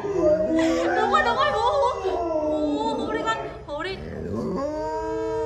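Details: Alaskan Malamute howling like a wolf; its owner had never known it could howl. Drawn-out wavering tonal howls rise and fall with layered harmonics, while a person talks over much of it indoors.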